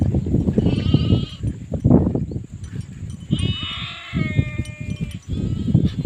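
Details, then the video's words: Sheep bleating twice, each a wavering, nasal baa of about a second, set against heavy low rumbling and thudding noise, like trampling or handling, that runs through the whole recording. "SHEEP SOUNDS FOR KIDS - Learn Baaing, Bleating, Yelling, Screaming and Meh Sound Effects of Sheep"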